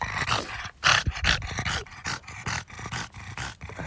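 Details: French Bulldog Oleg snorting rhythmically while foraging for strawberries on a garden plot, roughly two and a half snuffly grunts per second, loud and breathy, with uneven spacing.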